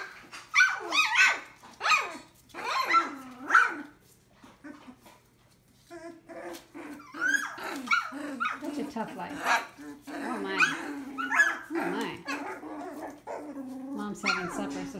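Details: Young Collie puppies around three weeks old give a busy stretch of wavering whimpers, yelps and squeals that overlap one another, with a human voice heard among them.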